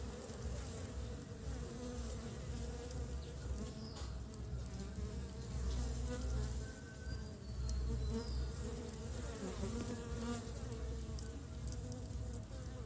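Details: Early spring honey bees hauling pollen back to build the nest; a loud, deep, unbroken droning buzz of a busy swarm, with faint high bird notes in the background.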